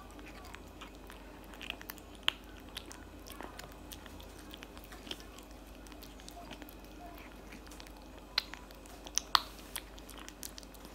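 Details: A tabby cat chews cat food inside a quiet room, with soft continuous mastication and scattered loud crisp crunches, clustered toward the end.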